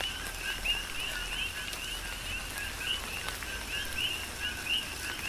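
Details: Coqui frogs on the Big Island, Hawaii, calling more sparsely in tropical rain; scattered short rising chirps stand out at intervals above a broad wash of rainfall and dripping.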